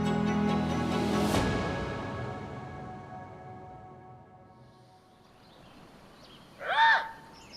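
Music fades out over the opening seconds, leaving quiet outdoor background. Then a Eurasian lynx gives a brief, rising-and-falling, cat-like mew with a rich, slightly harsh tone, a call used to reach its companions.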